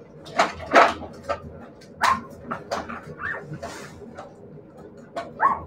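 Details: Siberian Husky puppies yipping and whimpering: sharp short yelps early on, then brief rising whiny cries, amid rustling and handling noises.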